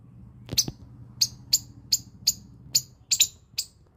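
A squirrel gives sharp, high chips, repeated every half second or so.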